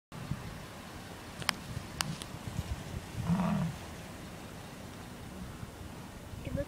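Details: Bison giving a single deep, short grunt lasting about half a second midway through, preceded by a few sharp clicks over a low background rumble.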